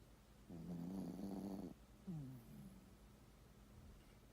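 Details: Sleeping poodle snoring: one long buzzy, rattling inhale lasting about a second, followed by a shorter descending snort and a faint trailing breath, in a quiet room.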